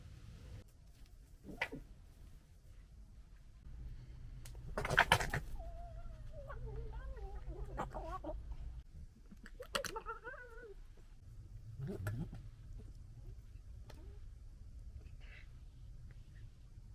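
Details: Local fox family during fighting and general disagreement: a few faint, wavering, whiny calls around the middle, a sharp thump just before them, and low rumbling background noise throughout.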